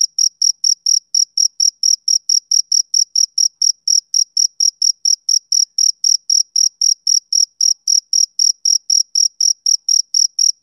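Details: A male cricket chirps on a summer evening, a regular series of high, thin pulses at roughly four per second, unbroken and free of other noise.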